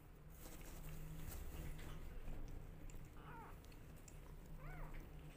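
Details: Rescue kittens jostling for bottle feeding give two short, high arching meows late in the clip over a steady low hum and faint handling noise.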